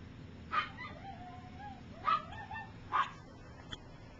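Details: Three-week-old puppies from Gypsy's litter, learning to walk, give three sharp high yips about a second apart, each trailing into a short thin whine, over a steady low background hum.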